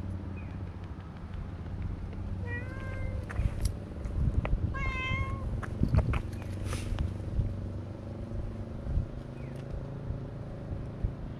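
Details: Two short meows about two seconds apart from stray cats gathering on a walking path during petting; each is brief and harmonic-rich, the second bending upward, surrounded by rustling, taps and steady low-frequency background noise.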